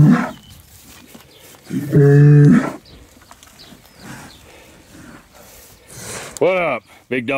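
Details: Big Hereford herd sire bellowing while bulls are moved for fertility testing: one loud, flat, mid-pitched moo in the middle, a short low call at the start and a rising-falling call near the end, with a man talking to the bulls.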